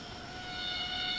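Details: Cicada screeching in rainforest at Ton Pariwat wildlife sanctuary, north of Phang-Nga, Thailand: a steady, tonal drone with stacked harmonic bands, swelling gradually louder over its brief span.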